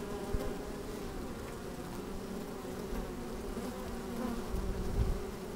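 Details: Busy honey bees in an open hive, recorded with a microphone lowered into it on a sunny day: an unbroken, even hum of many bees, swelling slightly toward the end, over low rumbling wind.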